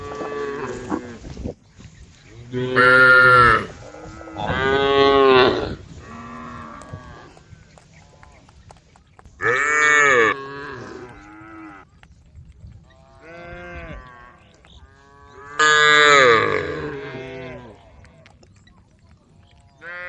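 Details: A group of cattle roaming a road at the forest edge give loud, drawn-out moos, several long bellows spaced a few seconds apart, calling the herd.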